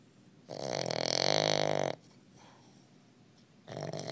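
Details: Boston Terrier pup snoring loudly indoors: a long rasping, buzzy snore lasting about a second and a half, a quiet pause, then the start of the next rough breath.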